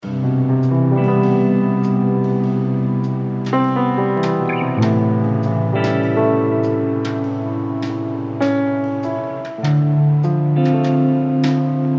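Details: Plucked guitar with piano plays a steady, melodic instrumental tune throughout, with no animal voice audible.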